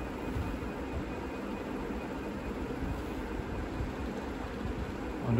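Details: Steady broadband hiss and low rumble like a fan or passing vehicle runs throughout, with no animal voice heard.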